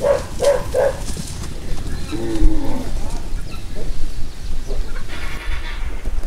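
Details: Oxen, among forty being loaded for transport to northern Goiás at Anápolis, Goiás, Brazil, on 24 October 2022. A brief, low moo slides downward mid-clip under loud rumbling handling noise, after three short high chirps at the start.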